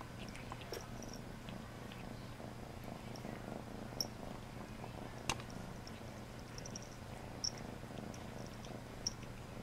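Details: Domestic cat purring steadily during a bath indoors, a low continuous rumble with faint splashes and occasional clicks and small knocks above it.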